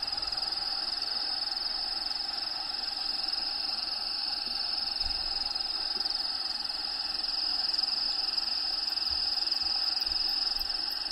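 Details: Crickets calling inside a bearded dragon's vivarium, home to Diego: a steady, high, continuous trill that holds one pitch throughout, with faint layered hum and ambient background sound beneath.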